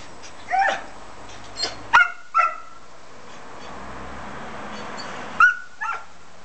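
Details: Pet dog barking in a garden: short, sharp, high yapping barks, three in quick succession around two seconds, then a pause and two more near the end, over a faint steady background hum.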